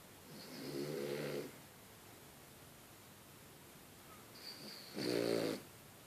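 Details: Sleeping French Bulldog snoring indoors: two long, rough, buzzy snores roughly four seconds apart, each lasting about a second, with quiet breathing between them.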